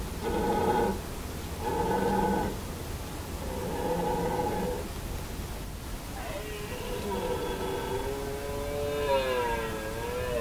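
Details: Red deer stags roar during the 2017 rut at Hoge Veluwe, in deep, throaty bursts, each lasting about a second.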